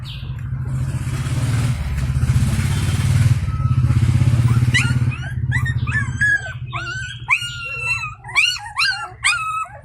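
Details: Stray Indian pariah dog's puppy running out at feeding and crying for its mother's attention. A low engine-like drone fills the opening seconds, then loud, sharply rising yelping whimpers follow in quick irregular bursts.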